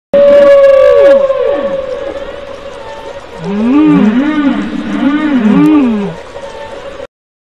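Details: A whale, said to be a dying mother calling out to her young, gives long moaning tones sliding down, then a run of rising and falling wavering cries.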